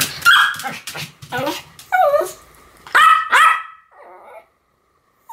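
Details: Pomeranians Sam and Marin duet-barking: a run of shrill yaps, some sliding downward into whiny tails, with a short muffled cry near the end.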